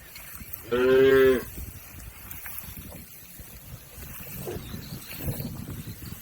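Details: Cattle moving across a river to their pen, one clear moo lasting about half a second early on, then only murmuring background noise.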